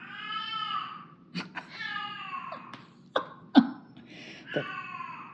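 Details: Thirteen-year-old house cat, thought to be getting senile, bursting out indoors: long, falling, strained yowls repeated several times, with sharp clicks and knocks in between.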